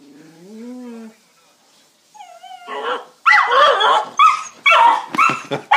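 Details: Jack Russell terrier x beagle cross getting excited at a beagle down the road. A person speaks first, then a loud string of sharp, rough barks comes in quick succession, about two per second.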